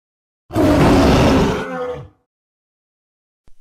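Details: Tiger roar: a single deep, rough, broadband bellow lasting just over a second, then a short rumbling tail before it cuts to silence.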